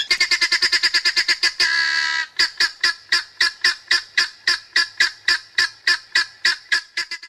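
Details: African wild dog in the African bushveld: a rapid run of short, harmonic, chirping notes, about three each second, briefly broken by one longer drawn-out note before the quick twittering resumes.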